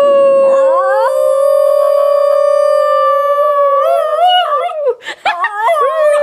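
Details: A ten-month-old female Basenji yodels, jealous and squirming on her owner's lap for attention: a long, level, harmonic-rich howl that wobbles and breaks into choppy, rising and falling yips and warbles.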